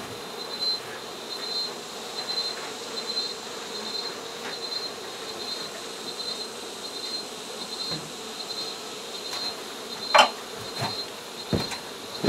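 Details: Honey bees from an exposed hive inside a shed in San Benito, Texas, disturbed during removal and relocation; a steady droning hum with a thin high whine throughout, broken by occasional knocks and sharp clicks from the work.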